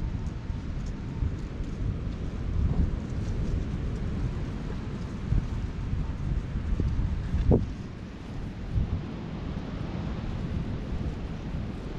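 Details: Steady deep rumble of wind against the microphone with a few faint knocks, and no animal voice heard.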